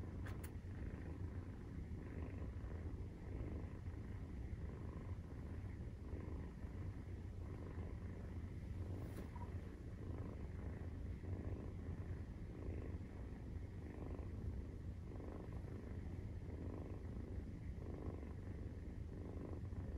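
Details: Maine Coon cat purring during nursing, kitten 43 days old, indoors; a steady low rumble fills the whole stretch with no breaks, softly throbbing without clear pauses.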